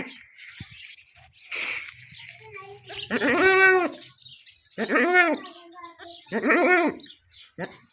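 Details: Goat during kid delivery: three quavering bleats about a second and a half apart, each rising then falling, with a high chirp and soft voices heard beforehand.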